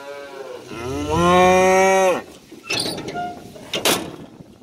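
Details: Cattle with calves being moved to green summer pasture; one long, strong moo rises then holds steady for about a second, ending abruptly, followed by clattering and bumping sounds.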